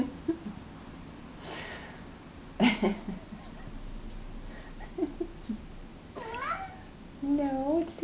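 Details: Male pet cat indoors by a door, meowing because he wants to go outside; a woman talks to him first, then several rising-falling meows follow near the end, the last ones wavering.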